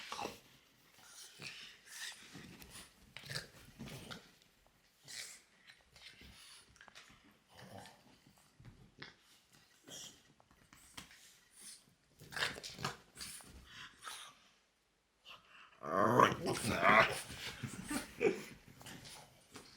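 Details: French Bulldog indoors giving strange noises: irregular raspy grunts, snuffles and breathy wheezes, ending in a louder, whiny, strained stretch.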